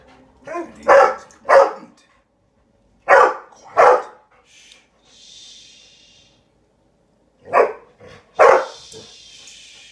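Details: Golden Retriever indoors reacting to a fox on television: sharp single barks in pairs, about three pairs over ten seconds, with a narrator's voice and faint wildlife-program sounds between them.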